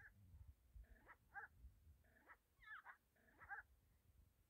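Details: A pet hyena gives four short groups of high, squealing whimpers about a second apart, each a quick bent note with overtones, against a low background rumble.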